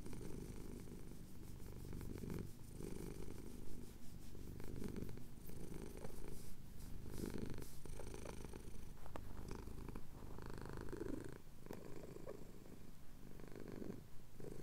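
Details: Domestic cat, a male, rumbling a deep steady purr while his chin is scratched as the sun rises over the Cotswold hills; breath-paced pulses every couple of seconds with faint rustling behind.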